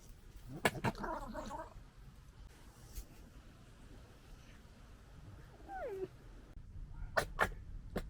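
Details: European red fox cubs, recorded in summer 2021, make raspy, throaty gekkering chatters while play-fighting. A short whimpering whine slides downward midway, and sharp clicky yaps break out near the end.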